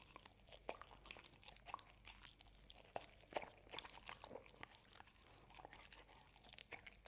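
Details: Hazel the dog eating a homemade ube roll and Cookie Cat dessert made of carob, oats, ube and chicken, recorded close up indoors; sharp, irregular crunches and bites crackle steadily against a quiet room.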